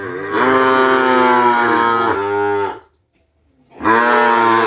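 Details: Madura cattle bred for kerapan bull racing, brought from Sapudi Island to a village: one long, steady moo of over two seconds, a second of silence, then a second moo starting up just as loudly.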